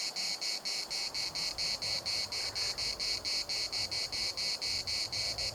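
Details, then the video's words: Cicadas singing in the municipal park at Larnaca, Cyprus: dense, metallic buzzing throbs in quick regular pulses, about four each second, with gentle wind noise underneath. "CICADAS at the municipal Park Larnaca"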